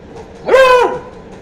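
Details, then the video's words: Beagle puppy during training gives a single loud, tonal bark lasting about half a second, its pitch rising then falling in a smooth arch, rich in harmonics, over a quiet background. "Beagle Puppy Training Full Video ( Funny Barking )"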